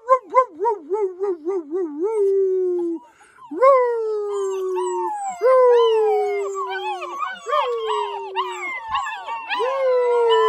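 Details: Ten black German Shepherd puppies, well fed in their kennel, keep howling after being whistled to; quick wavering woo-woo pulses open, then a break, then drawn-out falling howls layered with higher yelping voices.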